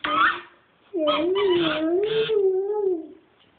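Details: A dog named Chooch 'singing' indoors: a brief high yelp opens, then after a pause comes one sustained, wavering howl lasting about two seconds, gently rising and falling in pitch before fading out.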